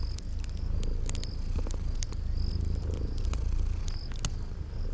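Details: Purring from sleeping kitties next to a crackling fire in spring garden ambience, the low even rumble steady under loud snapping crackles and brief high-pitched chirps every second or so.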